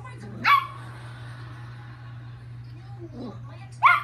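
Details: Lucky, a surviving Chihuahua, at playtime: two sharp, high yapping barks about three seconds apart, each a short bright burst, with a steady low electrical hum and faint room sounds in between.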